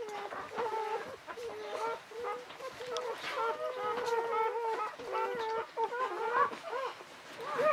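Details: Newborn Czechoslovakian Wolfdog puppy, the fifth of a litter of five females born 21 November 2020 to Orizon and Rahan at a breeding kennel: steady, nasal, mid-pitched crying in short wavering bursts, almost continuous, in a quiet room.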